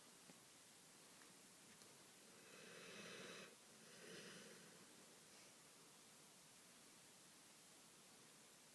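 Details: Baby, a pet dog asleep on a lap, snoring: two soft, breathy, rasping snores close together near the middle, then quiet room hiss.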